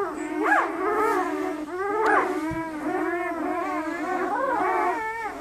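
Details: German Shepherd puppies 48 hours old, red and black, lively litter: steady droning whine with wavering squeals layered on top, a soft thump midway.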